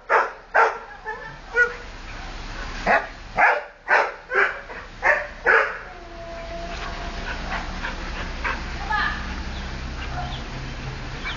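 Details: Wilbur the dog, thrilled at another dog going by on 30 Oct 2008, fires off a run of about eight punchy barks over six seconds, then falls quiet as low murmuring and background noise take over.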